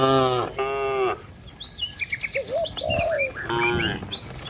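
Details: Tame village cattle herd running toward their pen in the morning; two deep, harmonic moos of about half a second each open the passage, then chirping birds take over.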